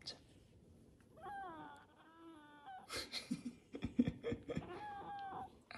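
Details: Kkomi, a young orange Korean Shorthair cat, the household's youngest pet, meows indoors while her paw is held. The drawn-out, tonal meow rises, then holds level for nearly two seconds. A man's talking and laughter follow.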